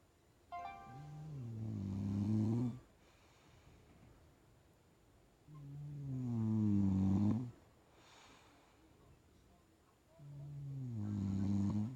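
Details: Sleeping bulldog snoring deeply: three long, rasping, harmonic-rich breaths, each about two seconds, spaced roughly four seconds apart in a quiet indoor room, with a faint electronic tone briefly audible early on.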